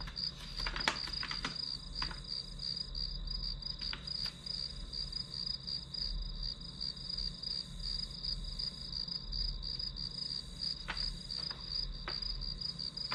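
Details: Shrill, steadily pulsing trill of grass insects used as study ambience, accompanied by several brief clicks and knocks early on and scattered later over faint low rumble.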